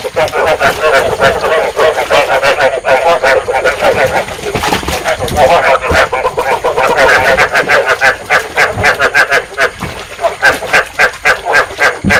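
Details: Paddy frogs in a thick chorus, a trapping lure meant to stimulate breeding. Many overlapping croaks pulse quickly, roughly three to four a second, with a continuous rattling texture across the full stretch.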